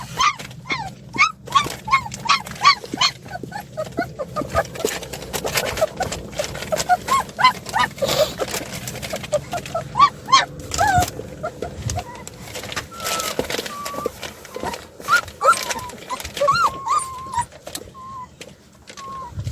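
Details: Puppies, two of seven, escaping from their play area, give many short, high whimpering yips throughout, some rising then falling, a few longer wavering whines near the end, over steady knocking and clattering.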